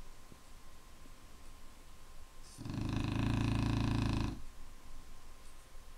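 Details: Snoring Clumber Spaniel: a single drawn-out, rumbling, rattly snore of nearly two seconds, rising out of quiet breathing and fading back, over a low steady hum.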